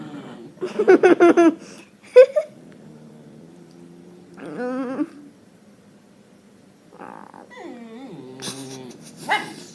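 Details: A dog letting out strange short harmonic yips and squealing whines in separate bursts, with quiet pauses and faint room hum between them.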